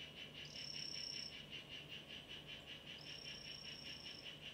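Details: Two thin, high buzzing trills, one near the start and a longer one later, from a Ranitomeya imitator 'Chazuta' mimic poison frog kept in a terrarium; steady pulsed chirping runs throughout.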